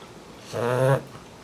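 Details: A female English Bulldog puppy, asleep, gives a single low, rattling snore lasting about half a second.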